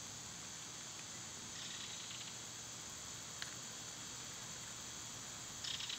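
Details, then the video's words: Loud summer cicadas make an even, sizzling high-pitched drone, with a few soft pulsed flutters and an isolated tick layered over the constant hum. "Cicada sounds"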